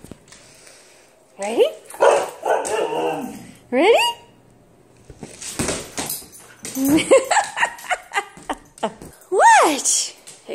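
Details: Female husky Nala playing ball indoors at home, giving several drawn-out arched yodelling whines and a short bark between bursts of human speech, the last call a clear rising and falling howl-like whine.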